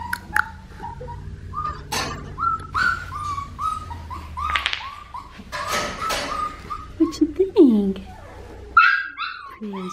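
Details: Blue merle female Australian Shepherd puppy, registered stock from a breeding farm, whimpering in short high tonal cries that fall in pitch, repeated about once a second, with a person talking softly and some handling noise.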